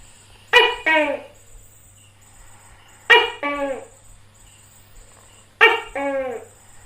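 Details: Tokay gecko in India giving its loud two-part call, a sharp harmonic bark followed by a lower falling note, repeated about every two and a half seconds, three times, over a faint steady hum.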